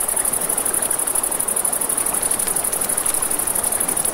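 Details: Crickets at night by a river beside a crackling campfire; a steady, very high, rapidly pulsing trill runs unbroken throughout, with soft rushing water and fire crackle beneath.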